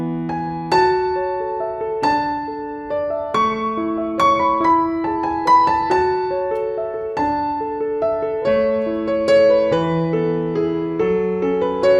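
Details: Gentle piano music plays throughout, with no animal sound heard.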